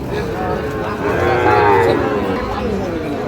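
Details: Sahiwal bull calf at a busy Bangladeshi cattle market in Shariatpur, 16 June 2025: one drawn-out, harmonic moo lasting under a second rises out of steady crowd chatter and market noise.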